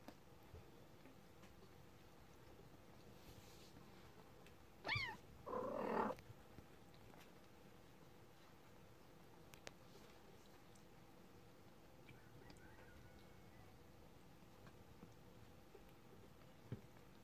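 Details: Kitten 30 days old, calling indoors: one sharp, wavering, high meow, then a rougher, noisier cry about a second long. Quiet room otherwise, with a few faint ticks and taps.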